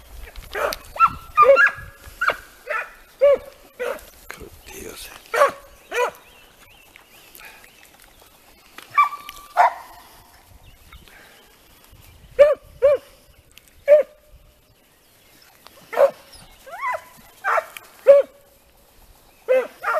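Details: Segugio Italiano hounds training on hare, giving scattered barks and bays in bursts with quiet gaps between, several voices overlapping at times, outdoors.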